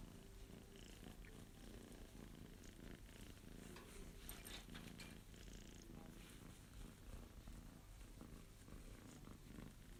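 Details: Purring from a male Abyssinian kitten as it is petted, its paw pads pressed so the claws extend; continuous deep pulsing rumble, even and unbroken for the whole stretch, with faint rustling.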